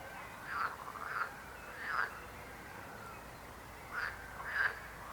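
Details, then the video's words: Frogs croak in two bursts: three short calls close together, a gap of about two seconds, then two more, over a soft murmuring chorus. "Rechot żab. Croaking frog sound."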